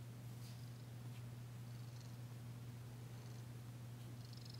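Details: Purring from Danci, a she-cat receiving a massage on February 9, 2022, heard purring for the first time since her arrival: an even, faint, low-pitched drone without breaks, with faint soft rustles above it.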